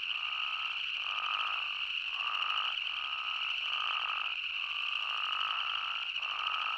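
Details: A dense chorus of spadefoot toads and boreal chorus frogs in Yellowstone National Park: overlapping trilled and rasping notes, repeated about every second, with a steady high ringing layer beneath.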